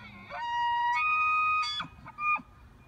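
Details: Elk bugling in Estes Park on 8 October 2015: a held, clear whistle that steps up to a higher shrill note, then a few short, clipped yelps at the end.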